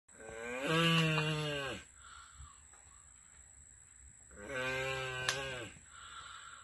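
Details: Critically endangered Asian black giant tortoises, Manouria emys phayrei, mating at the Turtle Survival Center: two deep, harmonic, moaning groans about a second long, separated by a quiet pause, like a mooing cow.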